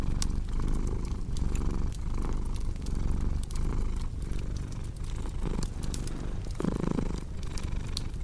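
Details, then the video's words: Domestic cat purring steadily, a deep rumbling hum that swells and dips in breathing cycles under a cozy crackling fireplace, with sharp wood pops and snaps scattered throughout. "Purring Cat with Cozy Crackling Fireplace Sound"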